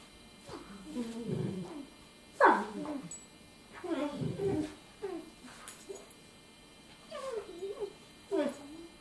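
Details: Ten-week-old puppy playing with a ten-month-old Golden Retriever; a series of short, strained whining and grumbling vocal bursts rising and falling, about eight separate outbursts with quiet gaps between, indoors.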